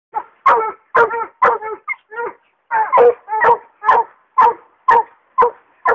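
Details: English hound on a wild raccoon, giving loud ringing bawls and chops, about a dozen harmonic barks in quick succession, some doubled, with silent gaps between.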